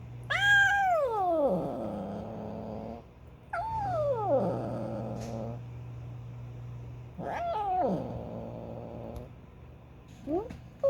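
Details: Female house cat making weird calls when she wants something; long descending wails sliding from high to low, three drawn-out calls with a short fourth near the end, and a steady low hum underneath.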